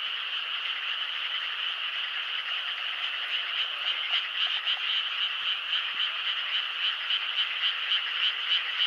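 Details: Frogs calling in a dense night chorus, a continuous rapid pulsing croak repeated several times a second, steady and unbroken throughout with no other sounds standing out.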